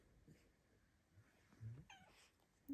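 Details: Luna, a female Bengal cat indoors, greets her owner in the morning with tiny, quiet meows, growing brave enough to chat beside the dogs; here one short, clear, slightly rising then falling meow, with soft rustling and faint low thumps.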